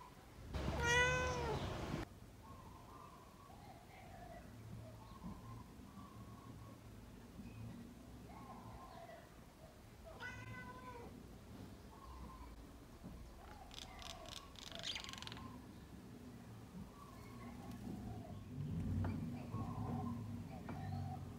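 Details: Indoor pet cat watching birds outside a window gives one loud, drawn-out falling meow, then softer short chirping chatters, while faint bird chirps from outdoors and a low room hum run underneath.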